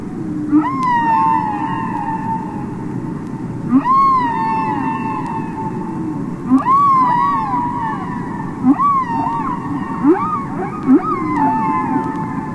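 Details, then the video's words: Humpback whale singing underwater, from a released record: rising then falling tonal moans with rich harmonics, repeated about every three seconds, over a constant low hiss of sea noise. "Listen to Songs Of The Humpback Whale"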